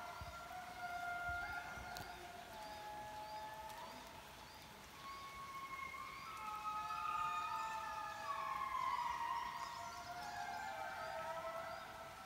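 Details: A loud chorus of indri lemurs in Mantadia-Andasibe National Park, calls audible for miles: many eerie wails rise and fall together, swelling in volume, with climbing glides layered over one another against light forest hiss.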